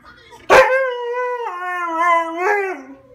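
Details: Siberian husky crying: an abrupt yelp opening into a sustained tonal wail that steps down in pitch, briefly rises again, then falls away, lasting about two and a half seconds.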